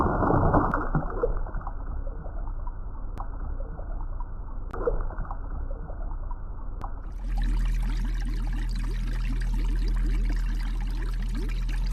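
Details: Muffled trickling, pouring water with a few sharp clicks gives way to a steady broad rushing noise over a low hum, with no animal voice.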